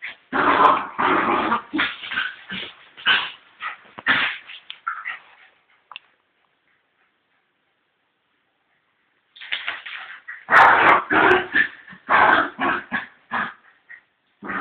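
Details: Fox Terrier in a fight with its own cat: dense volleys of harsh barks and snarls for about five seconds, a silent stretch of roughly three seconds, then another burst of rapid rasping barks.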